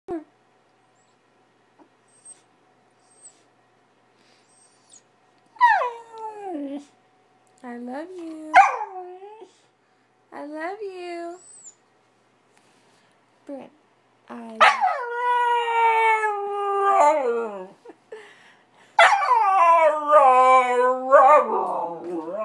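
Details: Angry, stubborn puppy indoors, wanting out to play after going potty outside: scattered falling whines at first, then longer wavering howl-like cries with rich harmonics in loud bursts; near-silent gaps between.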